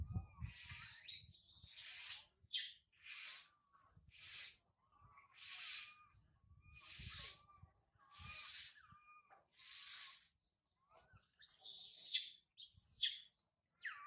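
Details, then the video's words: Young monkey named Sario crying loudly high in a tree after her mother Sarah left her; a series of harsh, shrill screams repeated about every second, some with thin rising whistled tones, separated by short silences. "Sario crying loudly a lot on the high tree after mother Sarah leave her"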